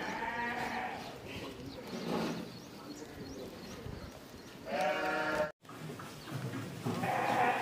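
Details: Goats at a boarding farm in Virar, Mumbai, at feeding time; a few wavering bleats, one near the start and two more in the last three seconds, over a steady background murmur.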